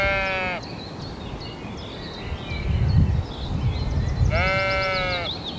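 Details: Domestic sheep bleating twice on a farm: a bleat at the start, then a low rumbling noise, and finally a second bright, wavering bleat; soft high chirps run throughout.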